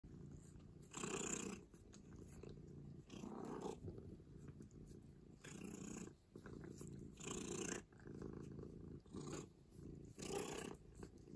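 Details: Domestic office cat purring steadily indoors, a low rumbling purr swelling in rhythmic bursts about every one to two seconds with each breath, with faint broadband room hiss between them.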